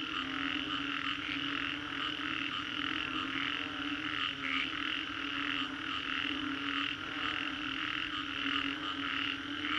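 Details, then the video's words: Many frogs croak together after a storm along Singapore's Green Corridor, a thick steady chorus with rhythmic pulses rising and falling every second or so, a sharper call standing out near four and a half seconds. "Frogs after Storm"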